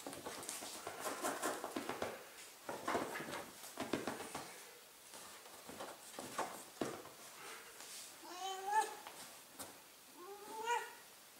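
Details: During wrestling play, a 15-year-old Ragdoll named Millie is heard: several seconds of rustling and scuffling, then two clear, bending meows near the end, the second slightly shorter.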